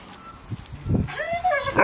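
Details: Siberian Husky Key, seven years old on his April 2nd birthday, surprised by a reunion with his best friend Sherpa after three months apart: a brief rising-then-level harmonic whine after a few low thumps.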